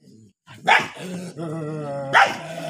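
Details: Two angry dogs on a farm in India, one giving a sharp bark, then a long rumbling harmonic growl, then another loud bark.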